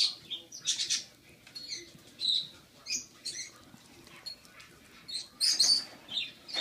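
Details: Six-week-old rescued baby squirrel named Rocky, tasting carrot for the first time while still formula-fed; sharp, high chirping squeaks repeat irregularly, several close together, with light scratchy noises between.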